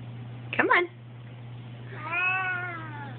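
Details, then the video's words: A crying male cat, indoors by a window and unhappy about it, makes a short, choppy chirp-like sound. After a pause comes a longer, wavering, sad meow that droops at the end, over a constant low hum. "Crying Cat"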